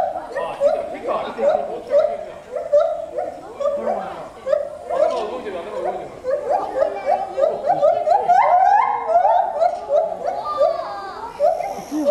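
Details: Gibbons at Asahiyama Zoo, Japan, on 24 July 2014 sing a loud chorus from 14 m high, hooting notes swooping up and down in quick succession.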